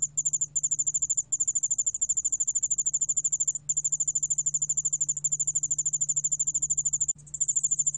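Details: Korean yeoul-allak-bangul-beolle cricket, 2020 National Institute of Biological Resources sound: sharp, quick pulsed trill, starting in short bursts, then long unbroken runs, a brief drop near the end, low background hum.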